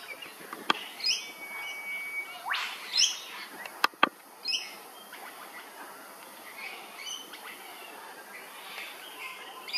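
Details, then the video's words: Fruit bats known as flying foxes, Hervey Bay, Queensland, give scattered harsh screeches and squawks with sharp clicks in the first half, then fainter chattering notes trailing off. "Flying Foxes - Fruit Bats"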